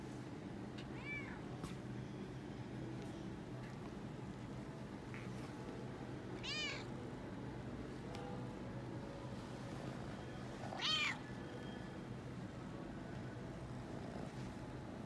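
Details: Toyger cat exploring a pet shop after his vaccination, meowing excitedly while purring; three short harmonic meows spaced about five seconds apart over a steady low indoor hum.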